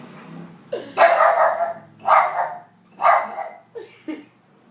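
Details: Pet pug barking at a window: three loud, hoarse barks about a second apart, followed by two short, abrupt snorting sounds as the dog sneezes right afterwards.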